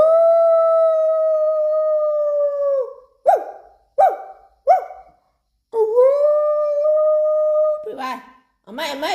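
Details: Thai Bangkaew and Rottweiler howling and barking in response to their owner's voice: one long steady howl that drops at its end, three short sharp yelps, another long level howl, then rougher noisy calls.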